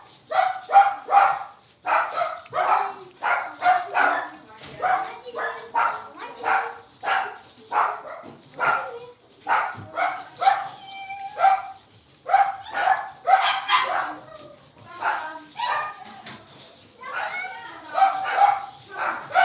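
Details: A litter of five blenheim Cavalier King Charles Spaniel puppies playing in an indoor pen keeps up a steady barrage of sharp, high yapping barks, several per second, overlapping one another for the whole stretch.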